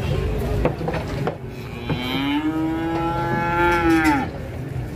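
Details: Agitated cattle being loaded onto a truck give one sustained moo of about two seconds that holds steady and then drops at the end. Knocks, clatter and background noise come before it.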